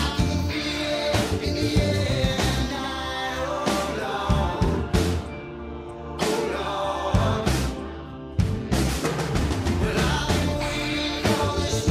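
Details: Loud rock music with drums and singing runs throughout, and no animal noise is audible.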